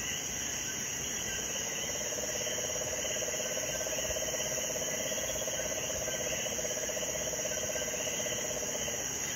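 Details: A small Puerto Rican crested toad, a river dweller, gives a long, steady, low trill at 9 pm during an all-day rainstorm, singing all night in rain, against a loud chorus of insects and coquís.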